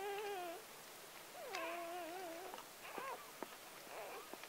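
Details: Newborn Gordon Setter puppy, number seven of nine born on October 23, 2014 to four-year-old Clea, crying at birth: thin high whining squeals, first steady then wavering, then shorter broken yelps in a quiet room.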